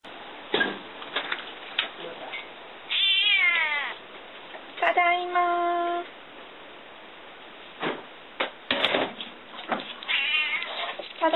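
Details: Domestic cat that had been left home alone, meowing at its owner's return: drawn-out harmonic meows, some with wavering, stepped pitch, spread through the recording between bursts of human speech and household clatter.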